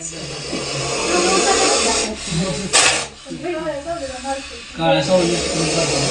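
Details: Aggressive cobra cornered in a bathroom in Alsand village, hissing as a warning: long breathy hisses, a sharp burst near the third second and another near the end, while a man talks over it.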